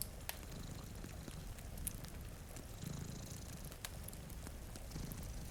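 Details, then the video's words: Sleeping cats before a rain-streaked window, a fire burning nearby; a continuous low purring drone with only faint breathing swells, mixed with patter of rain and scattered pops of crackling wood. "Purring Cat"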